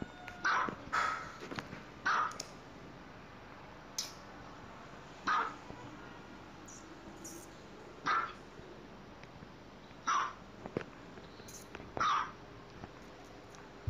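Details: Dogs playing at home, short sharp barks repeated at irregular intervals of one to two seconds over a quiet indoor room tone, with a few softer knocks between them.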